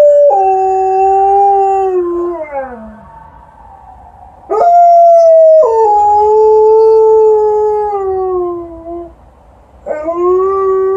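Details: Liza, an Alaskan Malamute, howls outside after an evening walk in response to a passing ambulance: long sustained tonal howls sliding and bending in pitch, three drawn-out phrases separated by short gaps, the last starting abruptly near the end.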